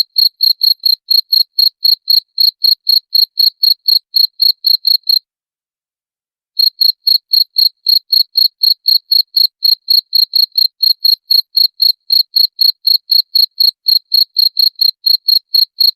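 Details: Cricket chirps meant to drive away rats. A rapid, regular train of shrill pulses, about four each second, breaks off for a second and a half of silence, then resumes unchanged to the end. No background noise.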